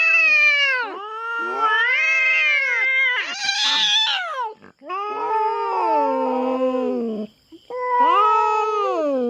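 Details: Feral cat on a farm in the Philippines, intruding on the farm cats' territory and squaring off with a black cat: loud, wavering, harmonic-rich yowls that rise and fall in long drawn phrases with brief breaks, a faint steady high tone behind.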